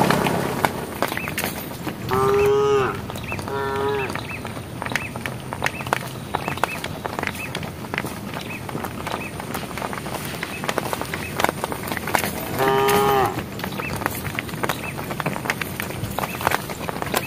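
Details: Herd of cows walking on a road, calling to the herd: short level moos in a pair, then a long gap filled with steady crackling and hiss before another single moo.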